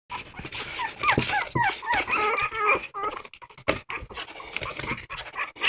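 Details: Dog crying, giving short wavering high whines that bend up and down, tightly clustered in the first half, followed by clattering knocks and rustling noise.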